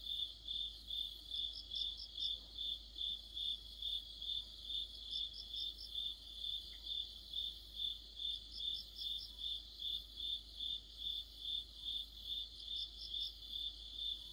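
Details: Autumn orchestra of crickets and other insects: a continuous high chirp pulsing about 2.4 times a second, while a higher-pitched singer breaks in with brief rattling bursts roughly every three to four seconds.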